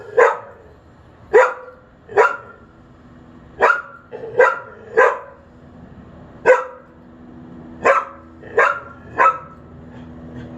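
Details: Dog left unsupervised outside, barking toward a neighbour at a window, late morning of May 28, 2022; ten loud, abrupt barks in irregular bursts, some in quick pairs or triplets, with faint low hum underneath.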